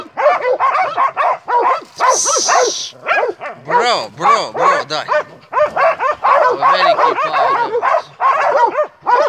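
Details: Hunting Montenegrin Mountain Hounds, kennel Sutorman, barking in a fast ringing chorus; deeper barks and a hiss of noise briefly join as the dogs keep up steady, overlapping cries.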